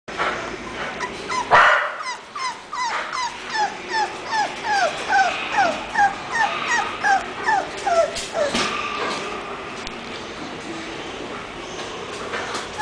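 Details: English bulldog giving a run of short whining yips, each rising then falling, about two to three per second, continuing steadily for several seconds after a brief opening burst, with faint room noise beneath.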